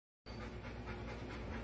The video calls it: Dramatic husky makes cute funny noises